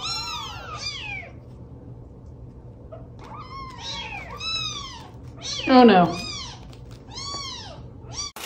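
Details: Domestic cat in a funny-cat compilation giving repeated short meows that arch up and fall away, with a harsher, louder cry near the middle, over background music and faint voices.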